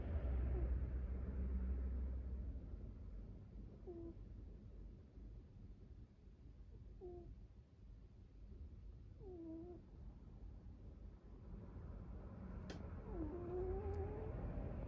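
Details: Sleeping American Shorthair cat named Sabataro snoring: a low steady rumble of breathing carries short squeaky whistled notes near 4, 7 and 9.5 seconds, then longer rising whistles toward the end, with a couple of sharp clicks.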